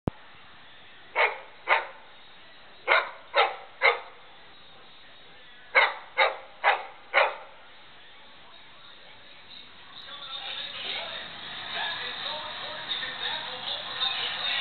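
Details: Labrador retriever barking to distract an English Mastiff and steal its toy: sharp single barks, mostly in pairs or runs of four over the first seven seconds, then rustling and scuffling noise.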